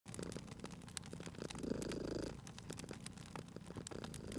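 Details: Sleeping domestic cat beside a crackling fireplace in a cozy spring setting, purring with low rumbling pulses that swell in one stronger burst near the middle, while sharp fire crackles and pops snap throughout.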